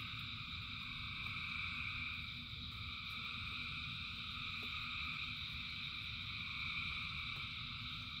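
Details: Massed frogs singing during rain give a steady, bright, densely pulsed chorus in several layered pitches, with a few faint clicks and a continuous low patter of rain.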